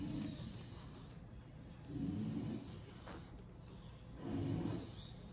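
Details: A lilac English Bulldog, AKC-registered, in Miami: low gravelly snorting breaths, each lasting under a second, repeated about every two seconds with quiet rasping between them.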